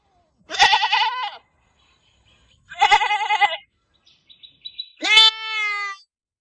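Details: A farm goat gives three loud bleats about two seconds apart, the first two quavering and nasal, the last a steadier, smoother cry that fades out.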